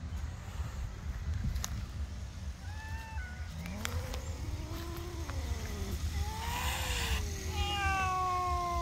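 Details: Angry cat up in a tree giving drawn-out, wavering yowls that rise and fall, overlapping and gliding in pitch, some bending upward at the end, over a steady low rumble of background noise.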